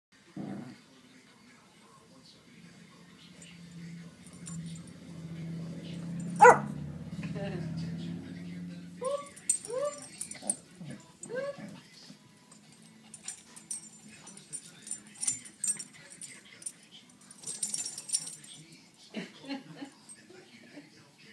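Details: Shih Tzu named Cinnamon barking and swatting at another dog, Sundae, to take a white tiger toy from her mouth; one of three pet dogs at a family house. A sharp thump, then a run of short repeated barks, with people's voices in the background.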